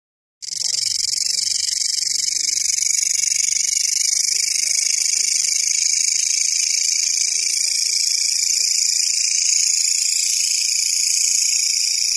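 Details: Grasshopper call: a loud, unbroken high-pitched buzzing hiss that starts abruptly and holds steady throughout, with faint low murmuring voices beneath.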